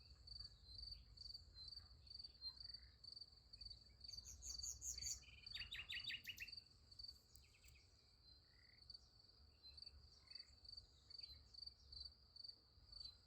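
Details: Crickets trill steadily at night beside a sunflower field, a high rhythmic chirring throughout, while a bird adds a quick run of bright, rapid chirps in the middle.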